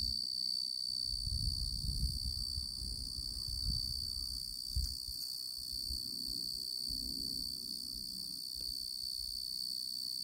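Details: Singing male tree cricket (genus Oecanthus) giving a continuous high, pure trill with a ringing overtone, partly backed by low rumbling noise and a brief click near the middle.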